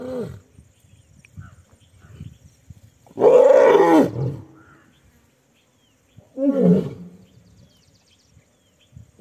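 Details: Asiatic lions in the Gir forest area near Junagadh, Gujarat, India, snarl and roar in harsh, loud bursts while fighting each other.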